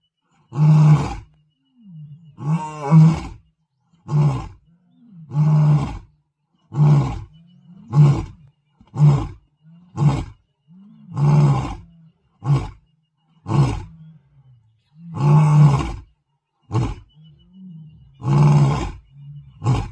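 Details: Lion on territorial patrol in the Masai Mara gives a long run of deep grunting roars, about a dozen short low bursts at roughly one-second intervals, with softer rumbling grunts between them.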